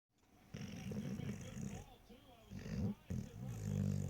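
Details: Dog lying in bed, snoring loudly: low, rough, rumbling breaths in continuous bursts, swelling and fading with a brief pause near the middle and a louder stretch toward the end.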